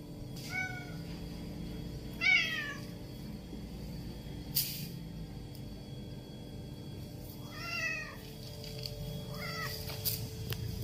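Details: A 1-year-old male domestic shorthair tabby, a stray in Rawang, Selangor, that meows loudly for attention and food, gives several short, rising-then-falling meows spaced a few seconds apart.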